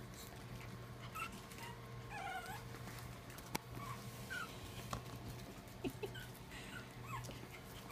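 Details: Charlie, a black and white Pomeranian playing on the floor with his sister and mom, gives short high whining yips and squeaky whimpers scattered through the recording, over a steady low electrical hum with occasional clicks and knocks.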